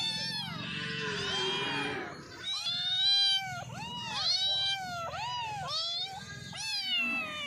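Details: Cats meowing while eating, a series of clear, wavering meows with rising then falling pitch, several overlapping voices, repeated every second or so over a soft low background.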